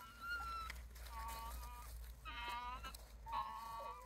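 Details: Wild Japanese raccoon dog pups, part of a family of a mother and about eight pups, met beside the Kushiro Marsh Observatory walkway in Hokkaido, Japan. Several thin, drawn-out tonal whines, some wavering, over a steady low hum.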